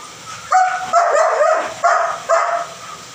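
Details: German Shepherd Dog producing four sharp, high-pitched yelping barks with ringing harmonics, the second drawn out into a wavering whine, spaced roughly half a second to a second apart.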